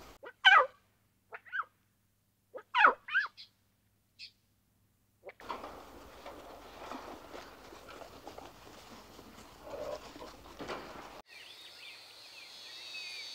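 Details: Playful young lion cubs in the wild: a few short, harmonic mewing calls, some rising and falling, in the first three seconds. A stretch of broad rustling noise follows, then a high, thin chirping at the end.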